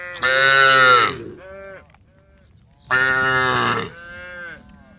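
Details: Cows calling the herd while roaming a road beside a forest: two loud, strained moos about three seconds apart, each trailing into a shorter, softer lowing note.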